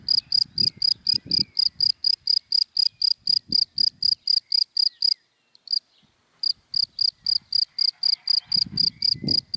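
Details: In dry grass by day, a cricket gives sharp, high chirps in a fast regular train, pausing briefly midway before carrying on, while low murmurs of passing vehicles come and go.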